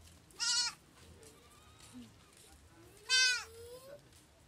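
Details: A baby goat in Kampala, Uganda, gives two strained, wavering bleats a few seconds apart; such kids call when seeking their mother to feed or when they feel alone.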